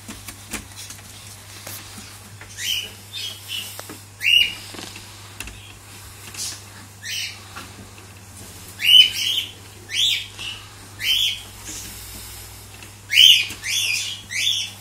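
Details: Caged Cavalier King Charles Spaniel puppies, one male among females, the male asserting dominance: high, thin yelps and squeals, about ten sharp bursts coming irregularly and bunching toward the end, over a steady low electrical hum.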